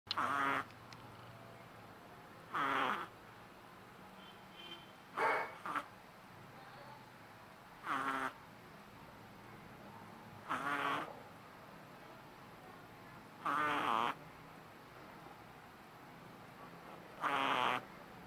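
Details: A sleeping 3-month-old Shih Tzu puppy snores loudly with brief, wheezy, nasal rasps, each under a second, about every three seconds in a quiet room.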